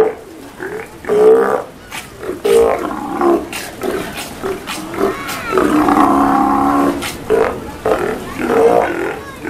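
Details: Steller sea lions kept at Kamogawa Sea World in Japan, recorded at feeding time on 2 January 2017, give loud, rough, drawn-out roars with a growling tone, repeated one after another, while faint voices sound in the background.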